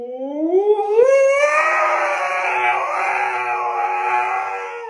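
A Siberian Husky gives a long, rising, wavering howl-like vocalization with a whining, almost talking quality.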